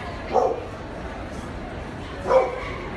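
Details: Dogo Argentino giving two short, sharp barks about two seconds apart, separated by quiet background hiss.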